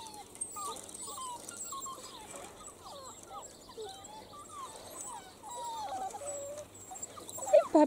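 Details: Seven-week-old Italian Greyhound puppies from a first litter, active and playing outside in their enclosure; many short, high whines and yelps rise and fall in quick, overlapping succession, ending in a louder squeal.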